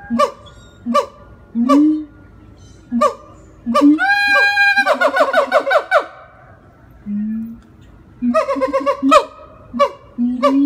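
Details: A captive siamang (Symphalangus syndactylus) at a Jacksonville, Florida zoo howls: loud, honking barks in quick series, with deep booming notes between them.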